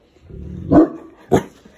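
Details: Large Boerboel on duty outside, barking at a car that pulled up in front; a low rumbling lead-in, then two short, heavy barks half a second apart.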